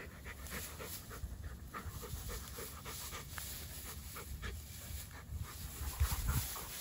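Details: Two Dogo Argentino dogs playing outdoors; rapid rhythmic panting, about four breaths a second, soft and breathy, with low rumbling background noise.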